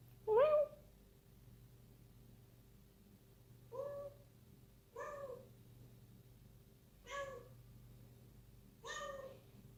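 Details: Playful six-month-old kitten at night in a room, meowing five times at uneven intervals of one to three seconds; the first call is loudest with a bending pitch, later ones shorter and moderate, over a low hum.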